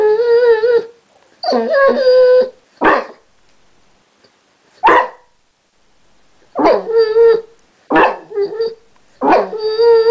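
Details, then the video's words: Chester, a basset hound who has recently learnt to 'talk', alternates steady whining howls with sharp yipping barks, several bursts over ten seconds with pauses between, recorded indoors. "Chester Talking"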